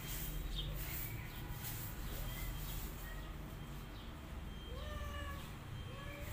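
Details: A lively kitten and a visiting pregnant feral cat. Several thin rising meows, clustered mostly in the second half, sit over a steady low rumbling background noise.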